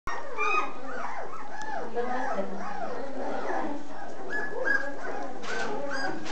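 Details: Pedigree Basset Hounds giving many overlapping whimpering and whining calls, each a short arching tone that rises then falls, layered densely throughout with no pause, with no other sounds clear.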